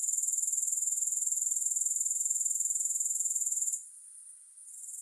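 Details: Rapidly pulsed, high-pitched grasshopper buzz with a fine rattling texture, lasting nearly four seconds before falling quiet and then starting up again faintly.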